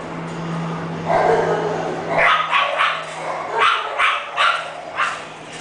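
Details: English bulldog from a breeding kennel, barking in a quick series of short, sharp barks after a quieter opening, with a constant low hum behind.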